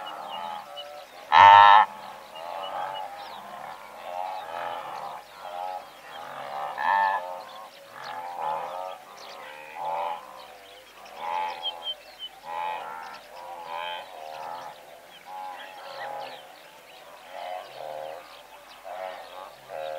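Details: Large blue wildebeest herd, several hundred strong: one sharp, loud honk stands out early, then a dense, continuous babble of nasal grunts and honks from many animals rolls on throughout.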